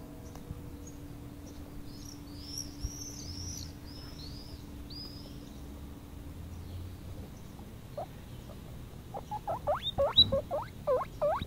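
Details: Baby guinea pig, four weeks old, out on a meadow lawn for its first free run, bursts into loud rising squeals repeated rapidly in the final seconds; faint arched high chirps of distant birds come earlier.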